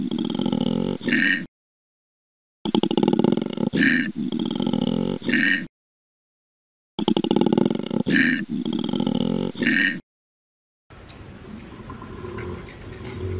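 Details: Koala giving loud, low, rasping bellows with a pulsed, snoring texture. Each phrase lasts about a second and a half and is cut off by a sharp silent gap, then repeated. A fainter, rougher rumbling passage with higher tonal hints follows near the end.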